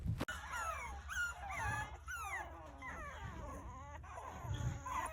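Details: Shichonpoo puppies about two to six weeks old crying for their mother while trying to climb out of the whelping box: high, rising and falling whines and squeaks overlapping rapidly, with occasional low thumps.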